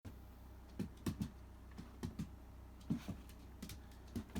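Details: Shiba Inu named Riri eating supper of dry food topped with retort-pouch sardines, recorded 28 December 2017 indoors; quick crunchy chewing clicks in irregular bursts, roughly three to four per second, over quiet room tone.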